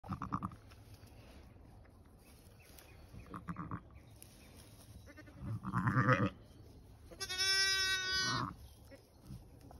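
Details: Lambs; one loud, high, harmonic bleat held for over a second near the end, preceded by rustling, handling noises and faint background sounds.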